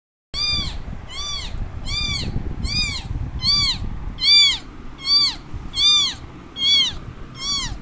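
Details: A baby kitten, left alone after its mother moved away, gives loud, high, arching meows about once a second, crying and searching for its mother.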